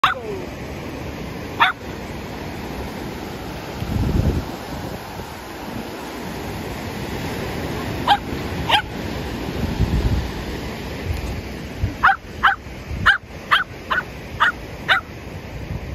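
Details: Shetland Sheepdog playing at the sea after rain; a few sharp barks early on, then a quick series of six or seven barks near the end over steady surf and low wave rumble.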